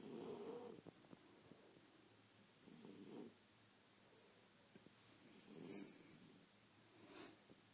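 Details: Asleep French Bulldog giving uneven snores and snorts, a few rough breaths separated by quiet gaps, with small clicks and sharp nasal sniffs near the end.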